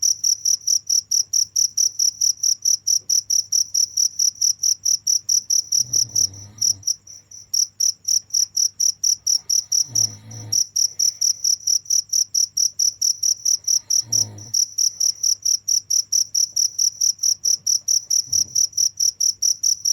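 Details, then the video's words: Continuous shrill cricket chirping in fast regular pulses, briefly interrupted a few times by dull low thumps, with a soft constant hum beneath. "the sound of crickets"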